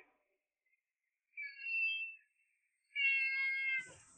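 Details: Domestic cat meowing after returning home with a long rope in its mouth: two high, steady, tonal meows, the second longer and brighter, separated by a pause of about a second, with a brief rustle at the end.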